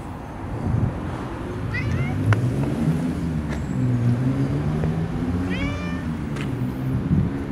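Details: Long-haired brown tabby cat from a park-dwelling tabby family, stroked and answering with two clear meows a few seconds apart, the second longer and wavering, over a steady low outdoor rumble and occasional clicks.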